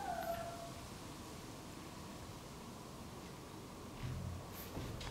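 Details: Timid, low-ranking tuxedo cat, a younger sister lodging with a white-and-brown cat family, lets her back be touched; she gives one short, drawn-out meow that slides downward at the very start, followed by a quiet room with faint rustling.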